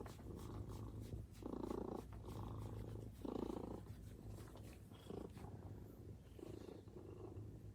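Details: Maine Coon cat purring while greeting its owner who has just come home; steady deep purr with louder rhythmic swells on each breath, roughly every second, close to the microphone.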